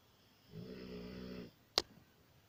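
A Rottweiler snores with one long, raspy, rumbling breath, then a sharp click.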